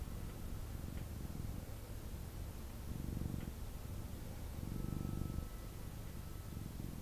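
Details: Male kitten purring while picked up and cuddled indoors; soft low rumbling in alternating breath phases beneath a noticeable background hiss.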